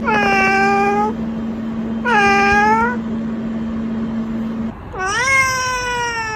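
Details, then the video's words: Cat meowing three times, drawn-out falling then rising mews about a second long, over a steady electrical hum that stops before the last meow. "Tingkah Laku Kucing Lucu 33"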